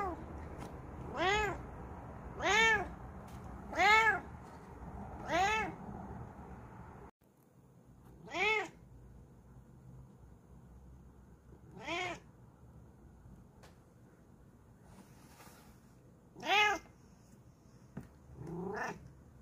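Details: A very relaxed Bengal cat taking a break meows repeatedly. Four arched, harmonic meows come about every 1.3 seconds, then after a shift in background hum come four more, spaced several seconds apart.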